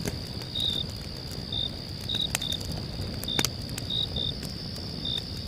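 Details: Crickets at night sing a steady high trill with short pulsed chirps on top, while a campfire crackles.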